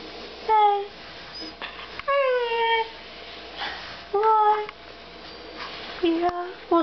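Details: Demon, a pet Siberian Husky in a small room, giving short, descending whine-like calls spaced a couple of seconds apart while his owner chats to him about going outside.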